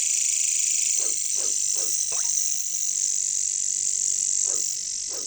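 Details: Katydids (bush crickets, locally caricangkas) in a jungle keep up a continuous high, sizzling, hissing drone without a break, while frogs below give short, dropping croaks roughly once a second, with a brief pause in the middle.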